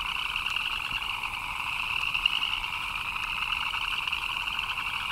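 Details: Many frogs calling together during rain, their chirps blending into a continuous shimmering trill at two pitch levels, even in loudness throughout, with a few faint clicks above.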